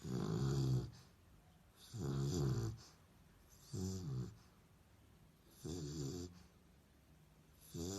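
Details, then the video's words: Sleeping dog with rhythmic, deep snoring: five grating, rumbling breaths recurring about every two seconds in a quiet room. "Snoring Dog - Schnarcheder Hund"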